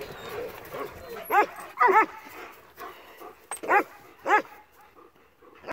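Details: Rescued male Akbash dog barking during playtime, five short, punchy barks at uneven intervals over a few seconds, with soft background rustling between them.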